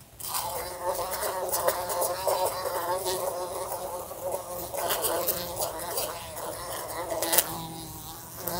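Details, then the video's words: Fly buzzing in a room beside a lamp, bumping into it: a continuous droning hum with stacked harmonics that waver up and down in pitch, broken by sharp ticks and taps as it strikes the lamp. "A Fly Buzzing Sounds"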